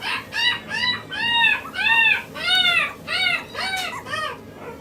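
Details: Male Maltese puppy born 29 February 2016, kept at the Hiramatsu Kennel pet shop in Yokosuka, Kanagawa, Japan; high, arched whining yelps, each rising then falling, about eight in under five seconds, rich in overtones.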